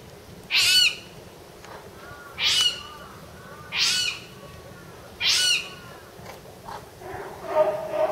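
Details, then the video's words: Jaguarundi, the only one kept in Japan, at Higashiyama Zoo in July 2010: four shrill, high-pitched cries, each about a third of a second, repeated roughly every one and a half seconds, then fainter background noises. "ジャガランディの鳴き声 Jaguarundi Cry"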